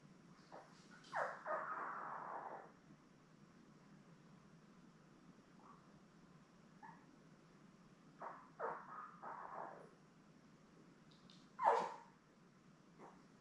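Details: Newborn Labrador Retriever puppies, a litter of seven born May 24, 2021, with their mother Belle on an indoor puppy cam. A drawn-out squealing whine opens, then a cluster of shorter whimpering cries and one sharp squeak, with quiet gaps between.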